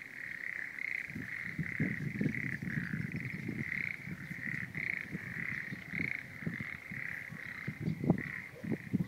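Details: Frog voices rising from a rubble- and sludge-strewn rice paddy at Uranohama on Oshima, Kesennuma, Japan, after the Great East Japan Earthquake; a continuous, rapidly pulsed chorus runs throughout over low scattered thumps and background noise.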